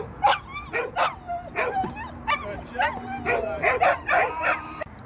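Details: Shetland Sheepdog at an AKC fun match on 16 October 2022, giving about ten sharp, high barks in quick succession, some with short yelping upturns, packed into five seconds.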